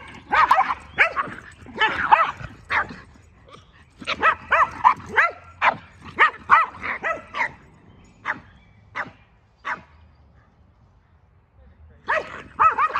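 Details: Two dogs, a Boston Terrier and a Keeshond, play-jousting: dense bursts of rapid barks and yips, sometimes overlapping, with a brief quiet spell and a few lone barks before the barking resumes.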